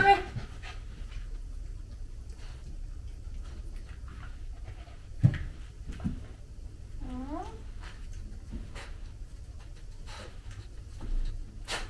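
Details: Female Samoyed puppy playing indoors with its owner, breathing in soft irregular pants, with one brief rising-falling whimper midway, scattered thumps and rustles, and some human voice in the background.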